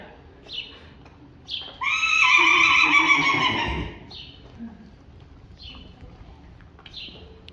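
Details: Friesian horse colts biting and playing in a group, including three-week-old Rising Star bullying Queen Unik; one loud harmonic whinny lasts about two seconds mid-clip, with short high bird chirps repeating before and after.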